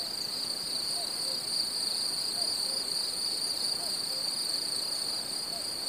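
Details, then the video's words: Cicadas on a summer meadow: an unbroken, steady high-pitched buzzing drone holds throughout with a fainter higher overtone, while soft, short low chirps recur about once a second beneath it. "Cicadas on a summer meadow"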